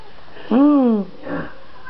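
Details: Domestic cat indoors during a mood swing; one clear drawn-out meow that rises then falls over about half a second, followed by a fainter short mew.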